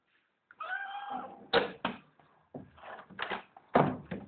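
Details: Indoor house cat named Toto, a female wanting to go out, gives one clear drawn-out meow early on, followed by a string of loud broadband bursts and Spanish speech telling her she cannot leave.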